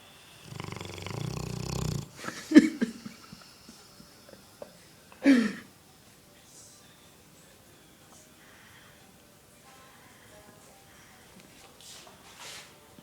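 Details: Haydut, a sleeping Rottweiler, snoring: a long rough rumbling snore, then two sharp snorts a few seconds apart, fading into quiet, faint breathing for the rest of the stretch.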